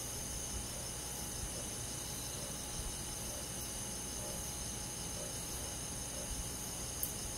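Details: Crickets and other insects on a summer night in a forest, giving a steady, unbroken high-pitched shimmer of overlapping trills with a low background hum and no single caller standing out.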